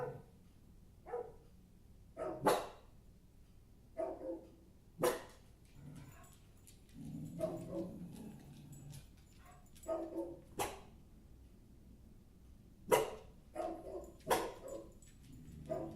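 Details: Maggie, a pet dog, barks repeatedly in short sharp bursts, some single and some in quick pairs, with pauses between, while a person speaks and calls to her nearby.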